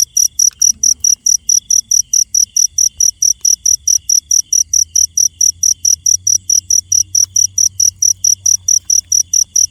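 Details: At night a cricket chirps without pause, bright piercing pulses at about four per second, with a faint thin whine and a low background drone.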